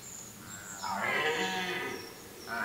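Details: Red deer (Cervus elaphus) in the autumn rutting season in a forest: one hoarse, drawn-out harmonic roar lasting about a second, swelling and then easing off, with thin high bird chirps in the background.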